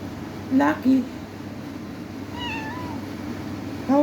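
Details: Adopted domestic cat talking indoors: two short rising meows in quick succession, then a longer wavering meow a moment later, with a woman speaking softly to the cat throughout.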